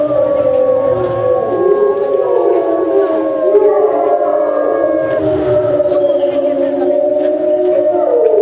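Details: Captive timber wolves (Canis lupus) at Tama Zoo in September 2015 howl together after a meal in long, overlapping, gliding tones that rise and fall.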